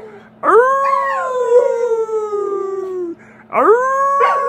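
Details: An American Bully dog howls after being invited to howl along: a long tonal, harmonic howl that rises sharply, then slides slowly downward for about two and a half seconds, followed by the rising start of a second howl.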